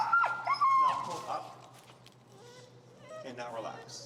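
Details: Finnegan, a feral husky, grumbles through a heel lesson in Chicago, loudly disagreeing with the behavior being taught. A high, wobbling whine and yips fill the first second, then quieter rising moans follow.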